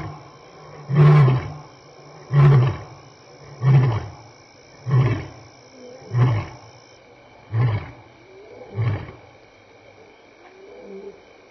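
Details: Lion walking past Elephant Plains Game Lodge, South Africa, on May 26, 2011, between 6 and 7 PM, contact calling with loud roars. Seven deep, grunting roars come about every 1.3 seconds and grow weaker toward the end, over a steady electronic hum.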